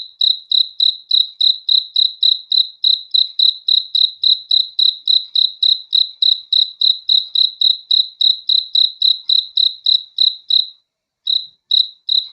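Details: Cricket chirping at night, a clean high pulsed chirp repeated about three and a half times per second in a steady train, with a brief pause near the end; no other sounds.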